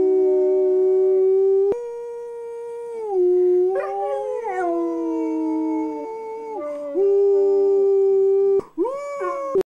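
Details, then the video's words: Sustained pit bull howl with shifting pitch, dipping and rising between long level notes, several wavering segments, ending in short rising yips. "Angus The Pitbull Howls"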